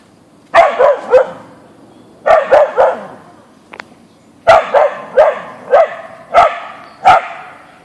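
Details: Siberian Husky named Boeing, an Ausky, barking at a deer in the backyard: sharp barks in quick bursts of three, with pauses between each burst.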